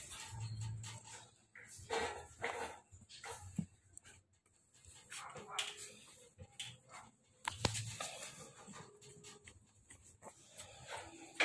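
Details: Two-week-old American Bully puppies giving short, thin whining squeaks in scattered bursts, some rising then falling, with handling noises, low thumps and a voice speaking nearby.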